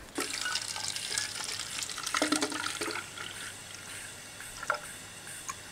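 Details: Rushing tap water and splashing with a few clatters, no animal voice heard.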